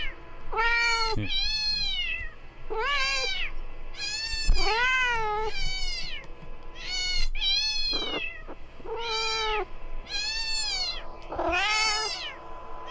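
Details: House cat at home during playback of a cat-attracting sound: a long series of varied meows, some lower and some higher and arched, about eleven in thirteen seconds, with brief soft thumps between calls.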